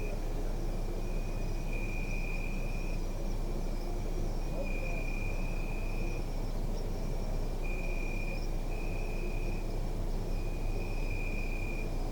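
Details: Crickets at night in a city park, captured on a Zoom F3 with an EARSIGHT The One immersive microphone. High, steady trills come in bursts of one to two seconds, repeating with short gaps, over a constant low rumble of city noise.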